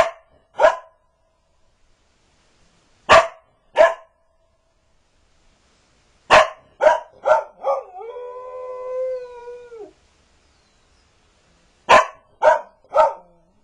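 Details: Magpie, a Border Collie, barking and howling: sharp single barks in pairs and triplets, then a sustained two-second howl that holds steady and dips at the end, followed by three more quick barks.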